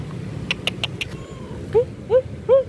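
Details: Hungry stray cat being fed, three clear rising-falling meows in quick succession near the end after a few sharp clicks, over a steady low traffic rumble.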